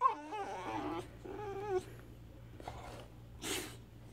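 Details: Boxer puppy, teething, scolded for getting into cables, answers with wavering whiny moans in the first two seconds, then quieter rustling and a short burst of noise.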